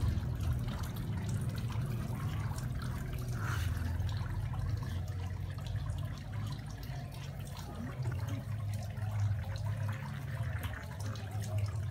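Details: Continuous trickling, pouring water over a low hum, with no animal voice heard.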